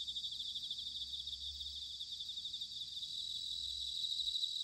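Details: Autumn insect chorus of bell crickets recorded in Sanuki, Chiba, Japan: a steady, high, buzzy shimmer of many callers, growing slightly louder toward the end, over a soft low hum.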